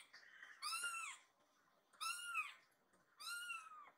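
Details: Rescued baby kitten, lost inside the house, calls while seeming to ask where its friend is: three clear arched high meows, about one per second and a bit, each rising then falling, in a quiet room.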